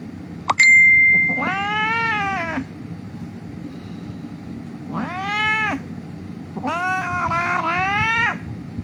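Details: An injured cat lying on a street cries with three long, wailing meows that rise then fall, spaced a few seconds apart. A metallic ding sounds at the start, and a low rumble runs underneath.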